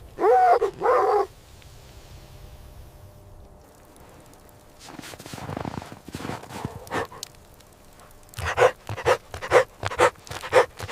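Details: Puppies and their mother dog playing on fresh snow in winter. A short burst of high, harmonic barks opens the recording, then a quiet stretch, then a faster series of sharp yapping barks near the end.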